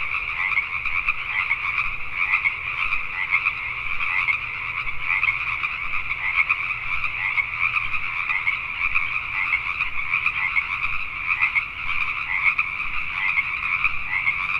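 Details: Dense nighttime chorus of Pacific tree frogs recorded in Richmond, British Columbia, Canada, dozens of raspy croaks overlapping continuously with slight swells in loudness.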